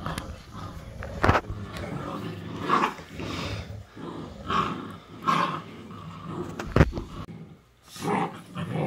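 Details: Mother dog teaching her puppies; a run of low growls and short gruff barks in irregular bursts, with sharp knocks and scuffling.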